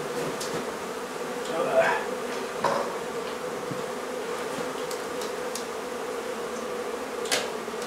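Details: Honey bee hive removal from a barn in La Feria, Texas, on a hot day with wax melting: continuous low humming of the bees, punctuated by scattered clicks and knocks of handling.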